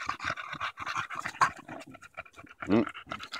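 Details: Bulldog named Daisy, out walking in Erindale Park in July 2014 and battling a stick, breathes in quick, raspy pants. A brief human voice cuts in near the end.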